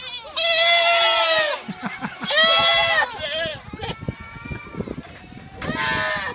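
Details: Goats at a Dutch children's farm, bleating in long, wavering, nasal calls of about a second each, three clear bleats with a person's voice talking between them.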